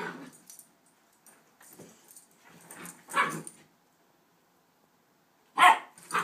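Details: Rough play between a one-year-old Rhodesian and an eight-week Shepherd/Rottweiler puppy, heard as low grumbles and soft growly noises building to a loud bark near three seconds and two sharp barks at the end.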